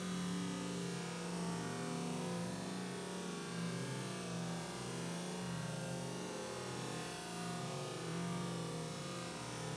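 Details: Honey bees settling into their new hive at a school fill the air with a steady, low droning hum that never breaks.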